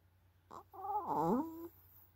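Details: Asleep after a game of football, the Chihuahua Yarik gives a single whistling nasal snore, a short sniff followed by a tonal drone that dips and rises in pitch for about a second, in a quiet room.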